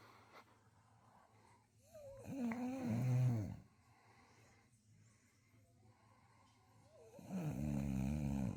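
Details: A female beagle-bulldog mix, asleep on a couch, gives two deep, rattling, human-like snores about five seconds apart.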